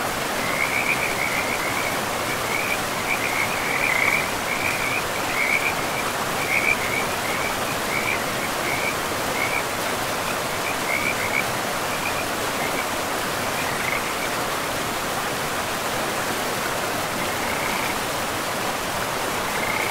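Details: High pulsed frog trills come in quick succession during the first half, then thin out to scattered bursts. They sit above a continuous roar of river water in a pristine forest with moss-covered ground.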